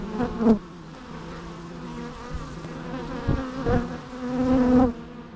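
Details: Buzzing bees with several close passes, the hum rising and falling in pitch as insects fly by, over a constant background drone.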